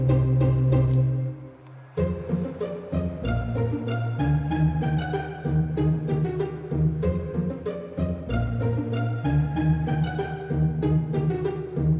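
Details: Plucked and bowed string music, cello and bass-like, plays steadily with a brief dip near two seconds; no animal sound is heard.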